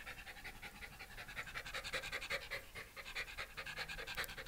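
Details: Komugi, a Shiba Inu cared for at home by a pet sitter around Yaizu and Fujieda, Shizuoka, on 30 September 2018, panting fast and evenly, breathy puffs roughly every half second, slightly louder mid-way.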